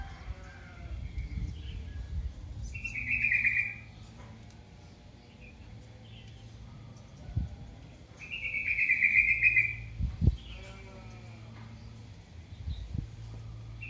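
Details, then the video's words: Kitten calling for its mother: two high, thin, drawn-out cries about five seconds apart, each slightly falling at the end, with faint low background rumble. "the sound of a baby cat calling its Mother"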